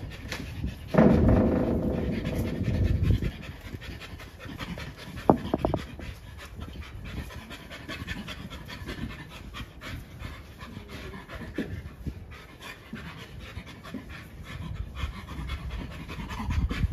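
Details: Captive chimpanzee at Chimpanzee Sanctuary Northwest giving breathy, low panting pulses, a louder rough burst early on, then steady rapid pants of about three to four a second with faint rustling behind.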